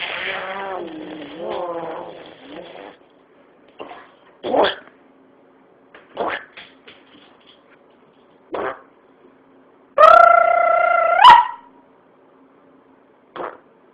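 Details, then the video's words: Boo, a white boxer, making funny noises: an opening wobbling, yodel-like moan, then scattered short huffs and grunts, and a steady, held, tonal howl of more than a second near the end. "Boo the white boxer loves funny noises"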